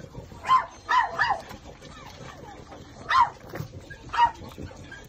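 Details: Small Shih Tzu puppies, two males and two females, with their mother, give brief yelps and whimpers, a quick cluster of three early then two spaced calls, over low room noise.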